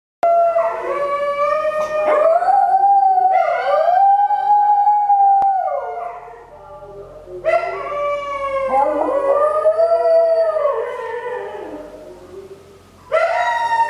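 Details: Pet Shetland Sheepdog singing indoors, long sustained howls that slide up and down in pitch, with wavering breaks and short pauses between phrases.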